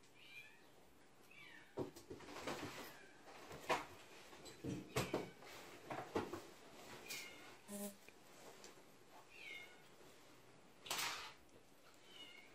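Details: Russian Blue cat giving a string of short, high mews, brief rising-and-falling calls spaced a second or two apart, amid soft knocks, clicks and handling noises indoors.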